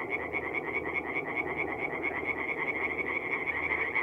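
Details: Singing tree frogs in a North-East Italian forest pond on an April night: a thick wall of quick, pulsing, high croaks from many frogs, unbroken throughout, with a fainter lower chorus beneath.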